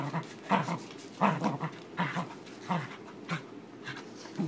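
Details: A fluffy corgi playing tug-of-war with a new rope bone gives rough, throaty grunts and growls in short bursts, roughly one every second.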